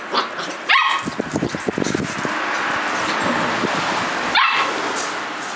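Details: Collie puppy, 57 days old, outdoors on 9 March 2012, giving two short high rising yips a few seconds apart over a steady rustling, hissy background.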